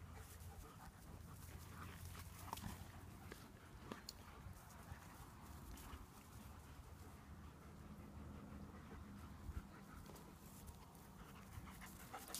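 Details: German Shepherds playing in a garden in September; steady, soft, breathy panting runs through the whole stretch, broken by a few sharp clicks and brief scuffling noises, over a low rumbling background.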